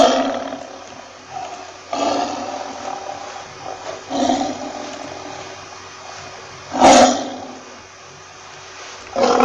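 A lion roaring in a series of harsh, rasping bursts about every two seconds.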